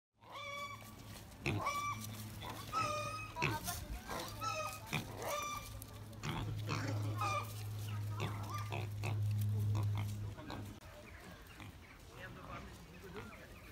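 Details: Wild pigs on a farm: a run of short, harsh, tonal squeals and grunts, irregular and overlapping, over a steady low hum.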